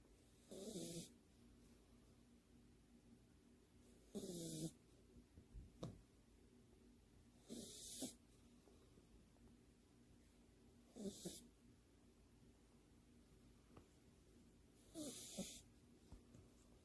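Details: French Bulldog asleep on its back, paws tucked together, snoring with eyes open while half-asleep; five loud rasping snores at roughly three-and-a-half-second intervals, each a breathy snort with hissing noise, quiet room between.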